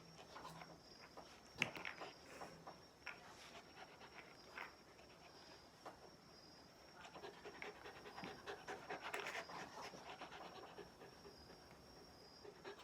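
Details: Ganmo, a Shiba Inu at play with its owner over a favourite plastic bottle cap, breathing in fast, airy pants that come in loose clusters, louder toward the end, with faint rustling and a brief knock.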